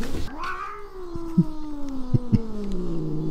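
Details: A Ragdoll cat from a household of eleven Ragdolls, said to call "eomma" (mom) while daily carrying a doll toy to its owner, gives one long, drawn-out meow that slowly slides downward in pitch.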